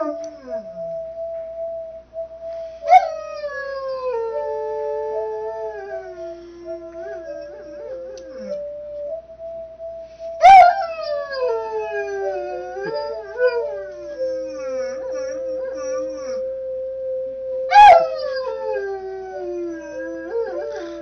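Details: Mastiff singing along in a messy kids' room to a played Mary Had a Little Lamb melody; three howls, each starting with a sharp high onset then sliding down, spaced about seven seconds apart over the stepping tune.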